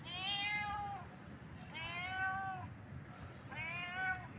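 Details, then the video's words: A cat in heat gives three long, wailing meows, each about a second long, rising slightly and then falling, spaced evenly, with soft background noise. "Cat sounds|Cat Heat sound|Cat sound effect|cat sound|Billi ki awaaz|Billi Ka awaaz|Billi ka awaz|cat"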